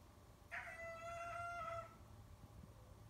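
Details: Loxley the cat meowing at people, recorded 11/24/18: one drawn-out, steady, tonal meow lasting over a second, rich in harmonics, over a constant low engine-like hum.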